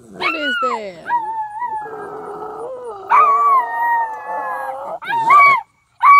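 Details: Dogs in a small town at Mt. Carmel, Tennessee, howling at horn sounds heard from the sky; long sliding tonal howls overlap, wavering and rising, with brief yips between and a short break near the end.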